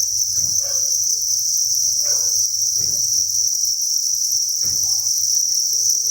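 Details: Dense chirping of thousands of farmed crickets in a breeding facility, an even high trill, broken by several soft thumps and knocks.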